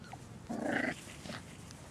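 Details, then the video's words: Puppies playing in a litter of six, including Mac and Marsipan; a single short, rough, nasal growl-yip of under half a second rises out of low background rustle. "Puppies Playing"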